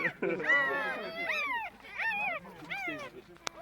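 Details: Two-day-old puppies in a box whimper and squeal in a run of high, arching cries, several overlapping, with brief pauses between; a short click near the end.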